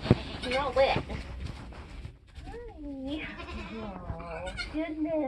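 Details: Homestead Nigerian Dwarf goat in labour during kidding season: after a noisy, voice-filled start, a few drawn-out, quavering bleats follow, each bending down then up in pitch.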